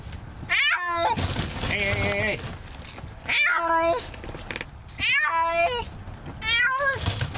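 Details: Stray feral cat caught in a trap for trap-neuter-return meows repeatedly, about every one and a half seconds: rising-then-falling harmonic wails, one held steady, with brief scraping noises between calls.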